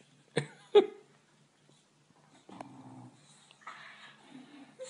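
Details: French Bulldog puppy indoors, a pet dog: two short sharp yelps or barks near the start, then rough low grumbling and wheezy growling sounds with snuffly noises toward the end; a man's voice scolds the dog.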